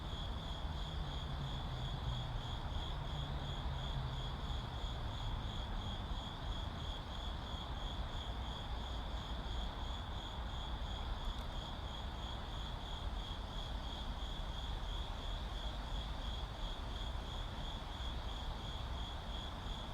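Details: Crickets in a city setting give a long, steady, rapidly pulsed high trill for twenty seconds, backed by continuous traffic rumble and an engine hum early on.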